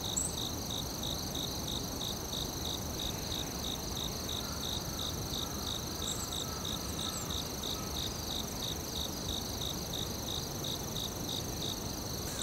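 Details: Crickets in a forest, heard in a live ambience recording: rapid, evenly spaced high chirps pulse without a break, over a steady high-pitched whine and a low rumbling background noise.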